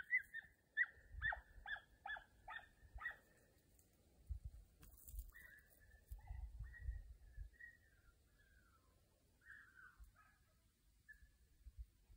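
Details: Young Podenco hounds at a training session give a quick run of eight sharp, high yelping barks, then scattered drawn-out, wavering yelps trailing off into the distance, over low rumbling wind noise outdoors.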